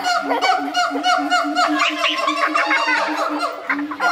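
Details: A zoo pair of siamangs, male and female, give a loud, honking morning song of repeated harmonic hoots and rising whoops, throat sacs inflating.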